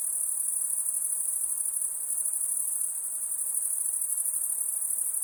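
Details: Many crickets trilling at night, a shrill, fast-pulsed, unbroken chorus holding steady from start to finish.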